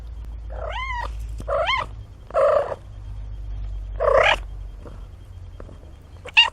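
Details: Kittens 17 days old, from a litter of four born to a cat named Nina, giving five harmonic meows over about six seconds. Some arch up and down, others are broader. Soft handling noise sits underneath.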